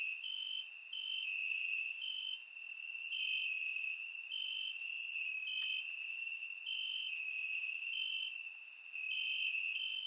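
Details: Warm summer night in Bulgaria with crickets chirping in the grass: constant high trill interlaced with regular short upper notes, and other insects chirping faintly higher, no other sounds.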